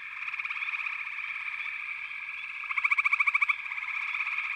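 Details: Dense backwater frog chorus with an unbroken trilling background; late in the clip one louder frog adds a rapid pulsed trill of roughly ten beats lasting under a second.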